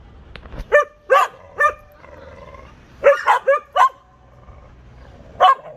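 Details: Canaan Dog and Canaan mixes at a dog park giving clipped, high barks, singly and in tight runs of three or four, with brief quiet gaps between bursts.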